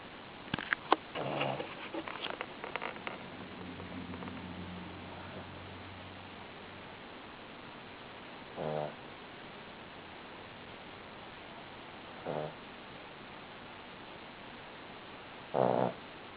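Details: Buddy, a sleeping Cavalier King Charles Spaniel, snores indoors: after a few clicks and rustles at the start, short raspy snorts come at widely spaced intervals against a quiet hiss.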